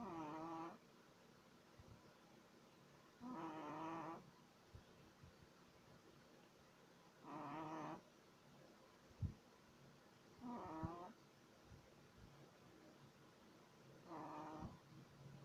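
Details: Shih Tzu puppy of three months, sleeping, snores steadily: five buzzy, whistle-tinged snores of under a second each, roughly every three to four seconds, separated by quiet breathing and small rustles.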